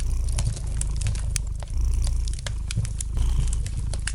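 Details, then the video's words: Gentle purring of a domestic cat by a crackling fire: a continuous deep throbbing rumble with rhythmic rises in loudness, while sharp little snaps from the fireplace break in throughout. "Relax to the gentle purring of the cat and the light crackling of the fire in the fireplace!"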